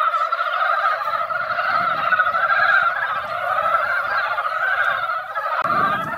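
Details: Mountain frogs that came out after a light rain fill a once-quiet valley pond with a continuous mass of chuckling, overlapping croaks; a soft low rumble underneath and a brief knock near the end.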